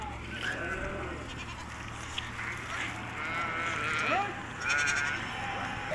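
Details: Hisori sheep in Tajikistan on 20 May 2023, heading to the summer pasture: scattered wavering, quavering bleats from several animals over a steady low hum and background murmur.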